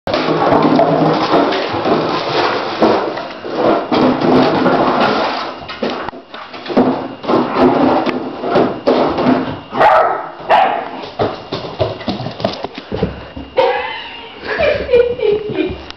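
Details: An Alaskan Malamute puppy barks at a milk jug and runs from it, giving loud, rough barks and drawn-out, wavering woo-like vocalizations in bursts.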